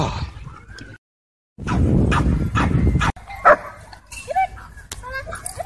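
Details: Aggressive dogs clashing at a dog park: a low, throaty growling tussle after a brief silence, then sharp barks and high whimpering yips, with people's voices mixed in.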